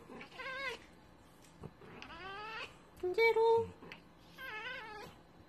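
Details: Domestic kittens or cats meowing in a compilation: several drawn-out, harmonic meows rising and falling, one around a second long near the start and another mid-clip, with a brief short bleat and sharp clatter between them, quiet indoor background.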